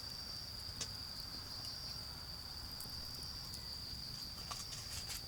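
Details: An even, shrill insect trill carries through this autumn garden, with bonfire snaps and scattered clicks above it and a low murmur of far-off cars underneath.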